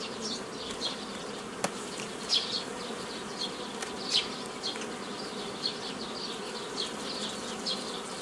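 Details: Steady droning of many honey bees during nucleus colony formation from an earlier forager swarm, May 15, 2018, broken by irregular wooden taps and brief louder bursts of buzzing every second or two.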